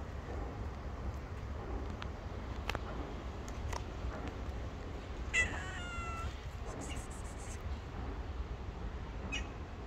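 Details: Hungry stray street cats wanting food but keeping away out of fear; a single short meow that rises then falls midway, over a steady low rumble with scattered clicks.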